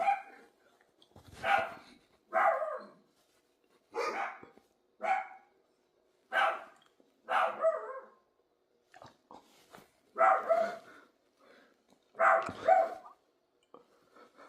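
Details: Dog barking steadily: about ten short, rough barks spaced around a second apart, with a few softer huffs between them.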